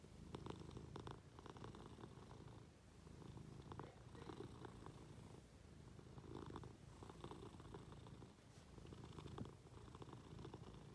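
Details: Munchkin cat being affectionate, climbing onto its owner in bed indoors; a steady, low rumbling purr runs throughout, swelling and easing with each breath, with faint rustling of bedding.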